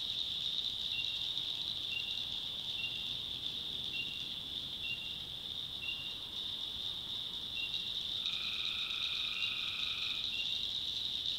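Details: Tree frogs at night in the North Carolina backwoods: short clipped notes repeat roughly every second over an unbroken high-pitched chorus, then one prolonged tonal call sounds late in the clip.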